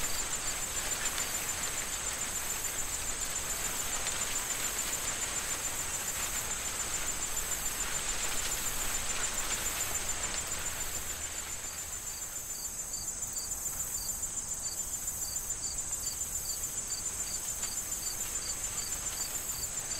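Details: Autumn corn field awaiting harvest: crickets keep a continuous high trill while gusting wind and rustling stalks dominate the first half; the wind then eases and rapid, evenly spaced cricket chirps stand out clearly.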